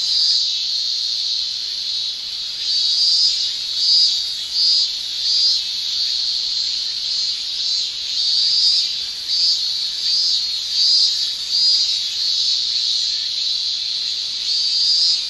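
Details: High shrilling tymbal song of male Japanese cicadas in summer, Japan, over a steady drone, with pulsing bursts rising about every second in an uneven rhythm.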